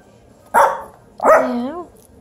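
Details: Dog in a home with Bluetick Pocket Beagle China and Biewer Yorkie mix puppies, indoors during play around a ball. It gives one short sharp bark, then after a pause a longer wavering, yodel-like woo with a clear rising-falling tone; quiet room.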